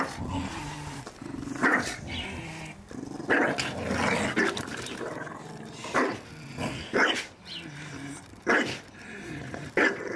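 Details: Several Staffordshire Bull Terriers at play in a garden, allowed to destroy their first Christmas ball; steady throaty growling broken by sudden loud yaps and short barks at uneven intervals.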